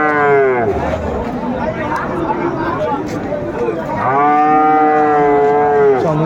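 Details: Cattle lowing at Ambari Haat cattle market in Dinajpur on 22 April 2024, where Friesian and cross-breed bull calves are traded: two long, harmonic moos, the second held about two seconds, over steady crowd murmur and market noise.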